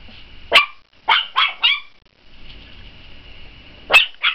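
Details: A dog barking to have the last word: a sharp single bark, then three quick high yappy barks, a pause with a faint steady whine, and two final short barks.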